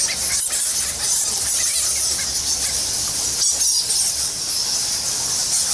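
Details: Bats by the thousands inside Goa Lawah temple cave on Bali: constant piercing squeals and rapid chittering from a crowded roost, a few brief sharper bursts standing out from the continuous high-pitched din.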